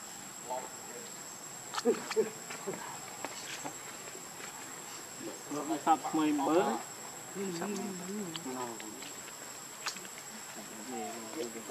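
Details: Hungry baby monkey named Leo crying to beg its mother for milk: scattered short squeaks early, then a burst of loud wavering, warbling tonal cries around six to nine seconds, followed by softer quavering whimpers, over a constant high electrical whine.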